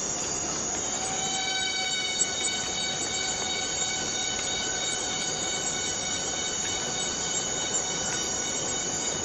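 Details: Borneo rainforest cicada calling as a continuous, piercing tonal drone, rich in evenly spaced overtones and steady in loudness throughout, with a few soft ticks in the background.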